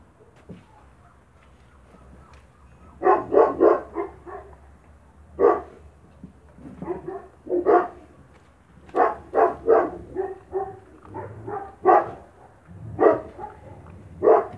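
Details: Spanish Mastiff puppies eating kibble in the Vegas Altas del Guadiana, Spain, with repeated loud barks in rapid bursts of three or four, scattered through the recording with short quiet gaps.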